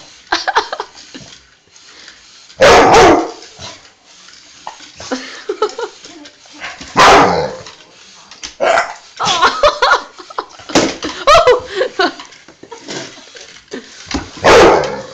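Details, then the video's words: Pet dog barking at a teddy bear, recorded on an Android phone; loud, harsh single barks burst out at irregular gaps of several seconds, with quieter scuffling and short yelps between. "Funny dog choking at barking (ft teddy bear)"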